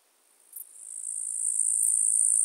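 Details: Eastern green bush-cricket, Tettigonia caudata, recorded in Marz, Austria, on 18 July 2022: a high, hissing buzz that swells from silence and holds steady, with short sharp ticks near the start and the end.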